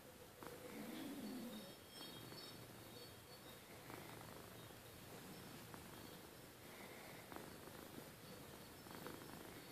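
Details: Purring of Rustle, a domestic cat, at bedtime: a continuous low throbbing rumble pulsing rapidly and fairly evenly, with a brief louder moment near the start and faint rustles.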